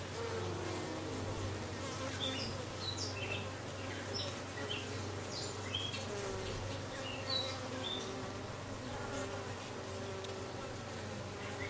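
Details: Honey bees with a newly arrived dark queen, recorded 6/5/13: a steady low droning hum with layered overtones runs throughout, while faint, scattered high bird chirps sound in the background.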